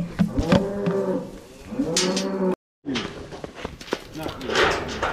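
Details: Cattle being moved home on a farm while one cow turns aggressive. Two low, harmonic moos follow in quick succession, each roughly a second long and slightly wavering, then a brief silence and clattering handling noises.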